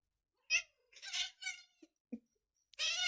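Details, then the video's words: A domestic cat making puzzling noises: a short whiny meow, then two connected strained calls, brief soft sounds, and finally a louder, longer drawn-out harmonic cry; quiet room otherwise. "Why is my cat making those noises"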